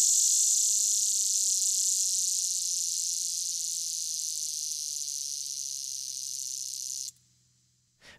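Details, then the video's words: A male lyric cicada, a common annual Midwest species in Illinois, gives a loud, steady, high buzzing drone that holds without pulsing, then stops abruptly; its song notably does not pulsate. "The lyric cicada is notable for a song that does not pulsate."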